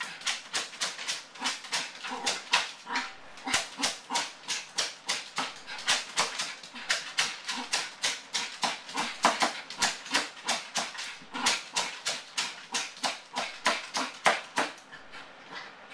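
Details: Male Yorkshire terrier left alone at home, barking from separation anxiety, as he does every time his owners leave: rapid, sharp, high yaps repeated about three per second, almost without pause, for the whole stretch.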